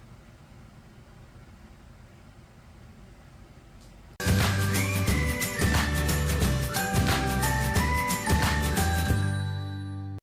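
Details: Faint room hiss for four seconds, then bright jingly background music with ringing tones fills the rest; no animal sounds.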